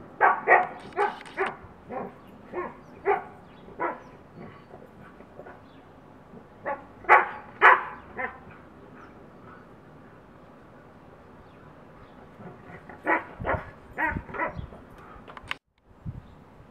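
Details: Neighbour's Siberian Husky and another dog at play through a fence: clusters of quick, yelping barks, a quiet stretch of several seconds, then a renewed flurry of rapid barks that cuts off abruptly into near silence.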